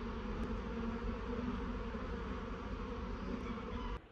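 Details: Honey bee swarm crawling into a new hive after the box was moved from a tree; a steady, dense droning buzz with a low hum runs unbroken for about four seconds, over a rough rustling background, then cuts off sharply.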